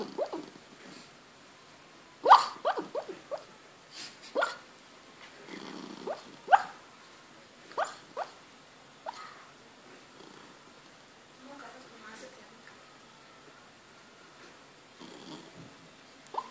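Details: Four-month-old Lhasa Apso puppy in restless sleep gives soft, muffled yips and little woofs at irregular intervals.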